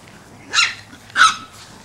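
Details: Chihuahua on a doggy play date gives two sharp, high-pitched yaps about half a second apart, each brief and bright, over a quiet room background.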